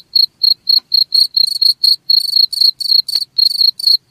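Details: Chirping cricket, offered as a sound to keep rats away, gives rapid high pulses roughly four per second, some pulses merging into longer buzzy bursts; nothing else is heard.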